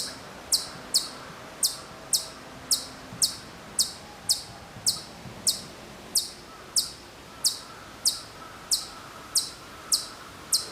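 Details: Distant Hokkaido chipmunk at Maruyama in Sapporo, Hokkaido, September 2014, giving a long run of bright, high-pitched chip notes, roughly eighteen in succession at a quick, slightly uneven pace, with soft ambient noise behind.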